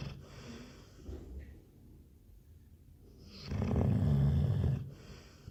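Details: Snoring Labrador Retriever, with soft breathing at first, then a single loud, low, rasping snore lasting over a second before it tapers into quiet breaths.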